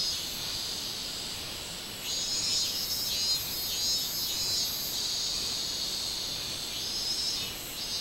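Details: Robust cicada song from 24 July 2016. A loud, high buzzing surges in after two seconds, wavers in intensity and fades near the end, over a steady shrill drone.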